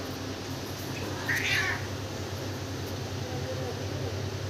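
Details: A kitten gives one short, rising-and-falling meow, with steady low hum in the background.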